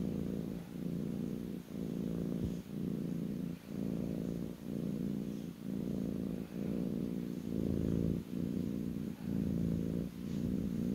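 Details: Low, continuous purring from a kitten lying on its owner's lap, pulsing in even waves about once a second over eleven seconds with short breath pauses.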